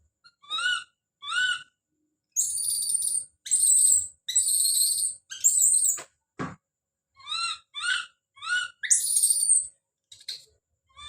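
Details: Young monkey called Don crying out: short harmonic whimpers alternating with sustained shrill screams, one sharp click-like sound in the middle, and more whimpering cries ending in a final loud scream.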